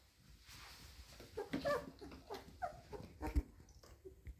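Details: Nine-day-old Golden Retriever puppies give soft, high whimpers and squeaks in quick, uneven bursts.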